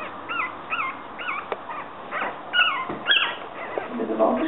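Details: Yorkshire Terrier puppies whining: a run of high, wavering whimpers that bend up and down, several short squeaks in quick succession, with faint human speech in the background.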